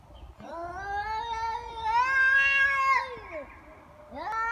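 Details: Angry cats fighting: a long, drawn-out wailing yowl that slowly rises and swells in pitch over about three seconds, breaks off, and is followed by another sharply rising yowl.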